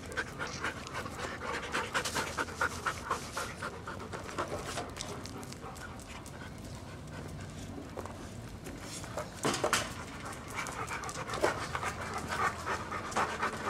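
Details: Family dogs, among them a one-year-old Siberian Husky and two seven-year-old mutts, breathing in fast rhythmic pants about four per second, louder toward the end.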